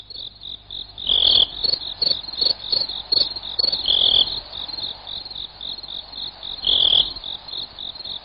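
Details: High-pitched cricket chirps repeat in quick, even pulses, broken by three loud rasping bursts spaced a few seconds apart. Offered as a sound for chasing away rats and other pests.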